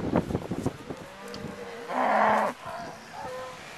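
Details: Cows mooing close by while surrounding a pickup truck: low sustained moos with a steady hum, broken by a short loud burst of rushing noise, then a shorter moo near the end.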